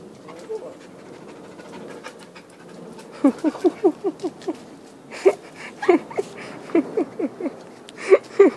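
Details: Dog panting, the quick breaths rising to a bouncy rhythm of short voiced huffs, about four per second, in bursts after a quieter start, with Dutch speech nearby.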